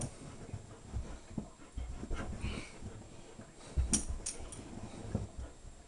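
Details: Female German shepherd Sasha, a shelter dog, gripping hard with her vice-like bite. Short low huffing breaths come in irregular bursts, with dull thumps and a few sharp high clicks near the end.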